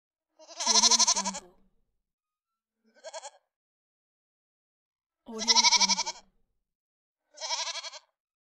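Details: Goat voices, including baby goats: loud trembling bleats alternate with shorter, softer ones, four calls in all with clean silence between them.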